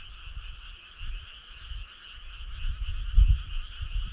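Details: Frog chorus on a summer night: a steady, dense trilling hum from many callers, with low rumbling thumps underneath that swell near the end.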